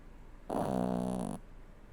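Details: Seven-year-old Toy Poodle snoring indoors: a single drawn-out nasal breath of about one second, a low buzzy drone with a steady fundamental and rich stacked harmonics, standing alone against a quiet room.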